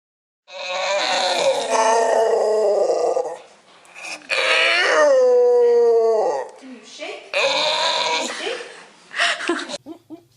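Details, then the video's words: Dog, said to be excited about a piece of bread, making loud, long whining howl-like noises in three drawn-out bursts with wavering pitch, indoors, followed by a person speaking. "DOGS making FUNNY NOISES"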